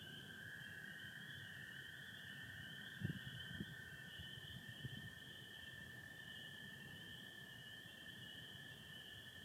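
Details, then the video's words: Michigan night of April 24, 2025, stars with some overcast: spring peepers keep up a steady high chorus over the long trill of American toads, while a few low thumps sound around the middle. "Sounds of spring peepers and american toads"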